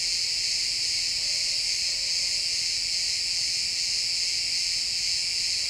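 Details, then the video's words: Chirping crickets at sunset in pine woods, heard as one dense, unvarying high-pitched trilling chorus, with only faint, scattered low murmurs beneath. "Cricket sounds in the pine forest"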